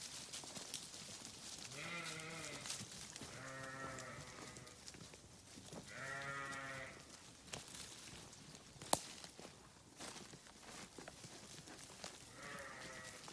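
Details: Sheep bleating several times, each bleat a wavering, harmonic-rich call lasting about a second, with four calls spread across the span over a steady background hiss and a sharp click near the middle.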